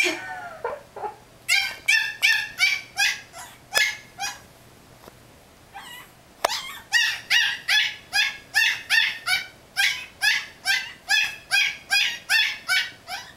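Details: A Yorkshire Terrier puppy in a playpen barks in quick, shrill, high-pitched yaps, wanting out to play with a cat his owners thought too big for him; bark is a play invitation.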